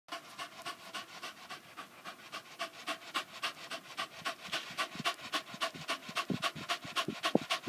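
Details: Staffordshire Bull Terrier panting while smiling for the camera; rapid, steady breathy pants, nearly four per second, with a short spoken question from a person at the end.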